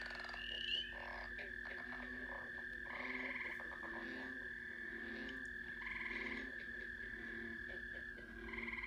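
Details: A mixed spring frog chorus of steady trilling, with repeated croaks and pulsed calls layered over it.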